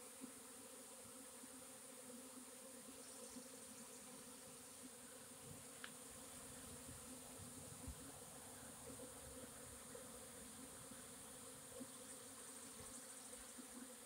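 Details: Swarming honey bees on April 26, 2021 produce a constant, thick hum that holds steady pitch for the whole stretch. Faint clicks and a brief sharp tick sound midway.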